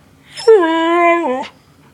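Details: Marty, a pet Siberian Husky, throwing a fit indoors over PF Changs food: one sustained, harmonic whining howl of about one second, steady in pitch and dropping sharply at the end, in a quiet room.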